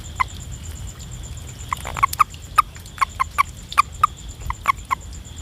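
A frog gives short, clipped tonal notes in an irregular series over a steady insect hum.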